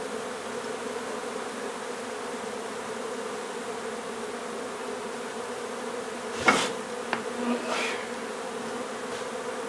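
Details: Honey bees droning steadily as their nuisance hive is relocated from an old home in Donna, Texas; the hum continues while a couple of loud knocks and scrapes break in near the end.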